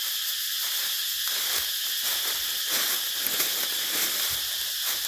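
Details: Wild cicada calling in the countryside of Thailand while being hunted: a dense, steady high-pitched hiss-like buzz holding throughout, with faint rustling and soft low thumps beneath.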